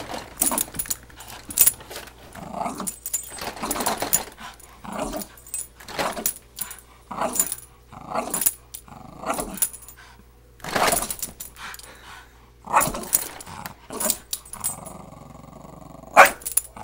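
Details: Pet dog arguing with a vacuum cleaner indoors: harsh, rough growling bursts come in uneven runs about every second, broken by short pauses, with a person speaking softly nearby.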